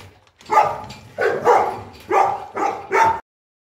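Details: Boerboel, a South African Mastiff from the pair Enzo and Diva living in Egypt, at morning feeding time; five deep, resonant woofs in quick succession over about three seconds, with a quiet background.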